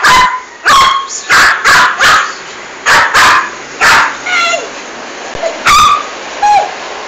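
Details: Aggressive female toy poodle killing a big rat in a bathroom, barking in rapid clipped volleys, several barks in a row, then pausing, with a few high whining yips scattered between.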